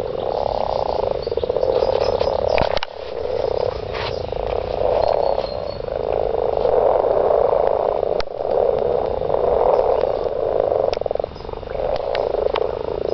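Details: Garden frogs calling during mating: a dense chorus of pulsed, rattling croaks merging into long trills, with short breaks near three and eight seconds before the calling swells again.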